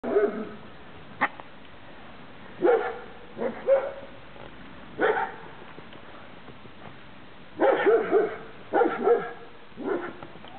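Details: Thai Ridgeback puppies from kennel Plums´Jewel, 2013, giving short yappy barks in bursts, some doubled, with gaps of a second or more between them; background otherwise quiet apart from a sharp click.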